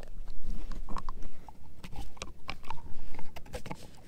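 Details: A German Shepherd mix, Edu, working on a dehydrated pig ear treat: close, busy crunching and smacking bites in quick irregular bursts, crisp cracks standing out.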